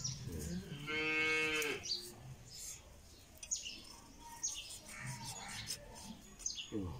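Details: Calf during nose-rope tying gives one short, rising, harmonic bawl of under a second; quieter handling sounds and scattered clicks follow.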